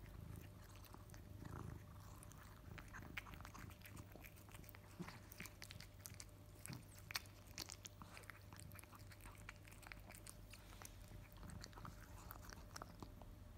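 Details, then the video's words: Male pet cat Kimi munches his favourite wet food after jumping onto his bowl; dense rapid chewing clicks and wet crunches run throughout, busiest mid-way, over a continuous low hum indoors. "PURE and FUNNY noises of KIMI while eating his favourite wet food"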